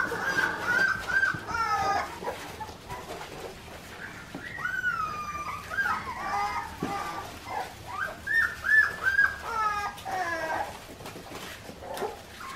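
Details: Australian Shepherd puppies, four weeks old, with their mother Clementine on an Oklahoma farm, give scattered high-pitched whines and squeaks. Clusters of cries come and go across the clip over faint background hum.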